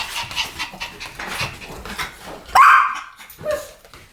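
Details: Pomeranian in a duet-barking session: soft breathy, panting-like noise, then one loud, sudden, rising yelp-bark with strong harmonics that drops away quickly, followed by a fainter short bark.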